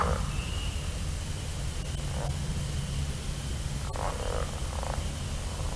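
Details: Pickerel frog (Lithobates palustris, formerly Rana palustris) giving short, low, snoring croaks over a steady rumble and a faint high hum.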